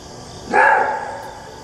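A maned wolf gives one loud, hoarse roar-bark that ends abruptly after about half a second.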